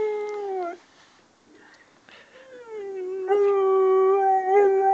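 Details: On a small fishing boat on Lough Neagh, Luna keeps howling, bothered by dogs barking far off. A howl trails downward and stops, a quiet gap with faint whimpers follows, then a long, steady, resonant howl carries to the end.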